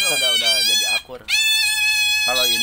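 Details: A tame pet otter, seen up close, gives loud, shrill, sustained squeals that hold steady in pitch with a short break midway; people talk nearby.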